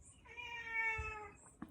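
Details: An old 21-year-old male Siamese cat gives one long, slightly falling meow of about a second, rich in harmonics, with a soft thump and faint room noise.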